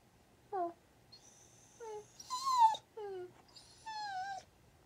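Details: Quiet Rat Terrier and Australian Shepherd mix dog making short rising-and-falling wails and whines in several separate bursts, some with a thin, strained upper edge, over a faint background hum.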